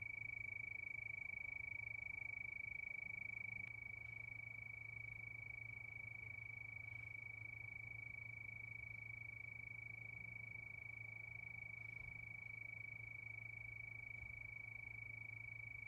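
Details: Crickets at night keep up a continuous shrill, rapidly pulsed trill at a steady pitch; slightly louder for the first few seconds, then even, over a constant low hum.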